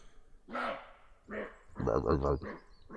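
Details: Night recording from the Vosges forest of a roe deer barking, signalling the breeding season or alarm: a series of gruff, rasping barks, about five in three seconds, at uneven spacing.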